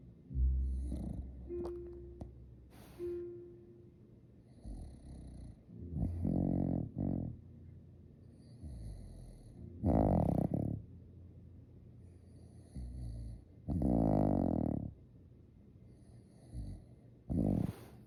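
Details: A Shiba Inu snoring while awake: low, rasping snorts in separate bursts every few seconds, some rough and buzzy, with faint high tones sounding softly in the background.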